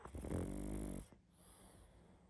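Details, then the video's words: Pug dog asleep, snoring hard: one long, loud, rumbling snore with a buzzy, harmonic rasp lasting about a second, then quiet breathing. "Как спит Собака🐶Мопс сильно храпит"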